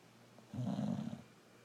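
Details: One short, low, rumbling snore from Rokko, a sleeping brindle Boxer, lasting under a second against a faint indoor hum.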